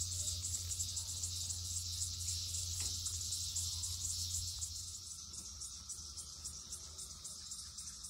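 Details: Loud 2021 emergence of red-eyed cicadas, countless insects on one tree; high whirring drone with rapid regular pulses that grow more distinct as a low rumble fades midway.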